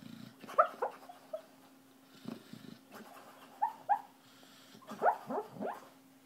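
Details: Sleeping dog dreaming, giving soft muffled whimpers and short nasal yips in scattered bursts, some slightly rising, separated by quiet pauses over a steady low electrical hum.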